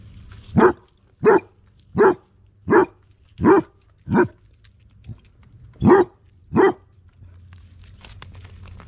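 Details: Basset hounds hunting june bugs in a yard in August; a dog gives a run of deep, loud barks, about one every 0.7 seconds, eight in a row with a short pause before the last two, then quiet.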